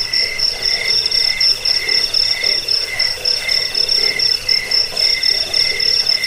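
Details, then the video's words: Steady cricket chorus used as a rat repellent, sleep aid and bird-training track; rapid pulsed high chirps, roughly four per second, with a second insect voice and soft mid-pitch chatter. "Suara jangkik pengusir tikus pengantar tidur"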